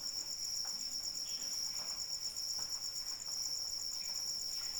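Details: Crickets calling through falling rain, their shrill, evenly pulsed trill running without pause, while gentle rain patters and drips tap in the background.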